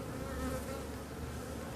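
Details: Honey bees from a drone-laying hive, with frames shaken out about fifty metres from the apiary so the laying workers do not return to the hive's old spot. A steady, even hum with a low drone and faint higher overtones.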